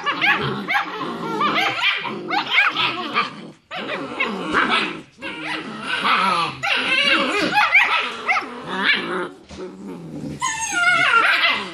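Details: Play fighting among six-week-old German Shepherd puppies after their evening meal; continuous overlapping yips, grumbling growls and shrill squeaks, ending with a rising whiny squeal.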